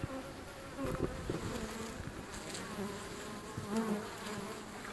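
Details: Agitated European honey bees at a wild hive beside a river in wildflower season, flying close past as the visitor backs away; low droning buzz rising and fading in passes, with soft rustling and brief handling noise.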